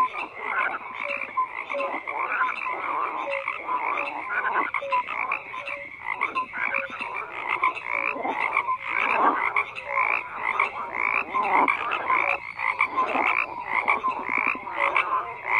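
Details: Frogs croaking en masse, a thick overlapping chorus of raspy, rhythmic croaks that swells and dips slightly, with short tonal blips recurring every second or two across the recording.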